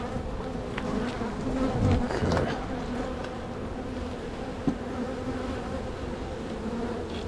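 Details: Busy honey bee colony humming while frames are inspected during a spring walk-away hive split; continuous droning buzz with a clear steady tone band, brief swells and a sharp knock midway.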